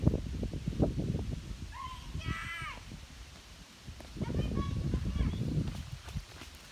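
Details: Ranger, a six-week-old white-tailed deer fawn that hangs around a house, gives high nasal bleats, one drawn-out and one shorter, over low rustling and human speech.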